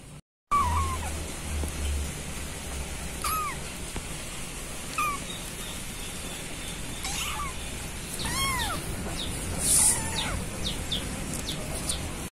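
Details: Kitten meows meant to call the mother cat: repeated thin, arched cries every few seconds, set against steady noisy background hiss and low rumble.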